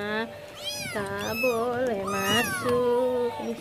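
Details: Restless mother cat, a village cat (kucing kampung), giving long, drawn-out harmonic meows that rise then sag and waver, two or three in quick succession, while a person speaks softly nearby indoors.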